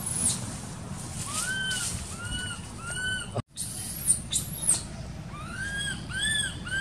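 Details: Infant monkey in an archaeological park cries as its mother fails to care for it: a series of soft, high, arched whines in two bursts separated by a brief silent break, with a low noisy background.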